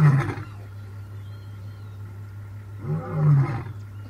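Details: In the Masai Mara, an African lion gives deep, throaty roar grunts: one at the start and another about three seconds later, over a steady low hum.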